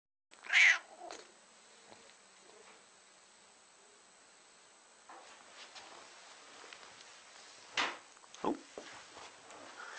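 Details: Exotic Shorthair cat indoors giving one short, bright meow near the start, then quiet, with a couple of faint later vocal sounds and a person greeting the cat.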